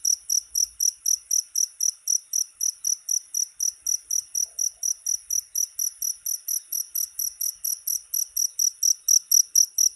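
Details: Cricket sound for repelling rats: bright, ringing high chirps pulsing rapidly and regularly throughout, with no other sounds besides a faint background hum.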